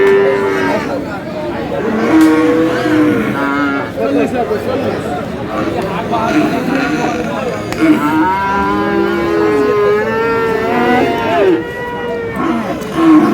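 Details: Friesian and crossbred bull calves at the Aftabganj cattle market in Dinajpur on 22 July: several overlapping drawn-out moos, some rising then falling, under constant human chatter and bargaining voices from the crowd.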